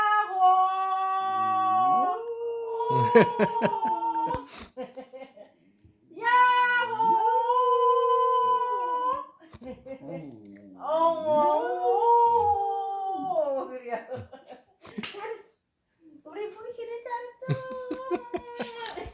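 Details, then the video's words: Pet dog Boksil at home doing singing practice with its owner, long wavering howls rising and falling beside sustained human sung notes, with short pauses between phrases "복실이는 노래 연습 중"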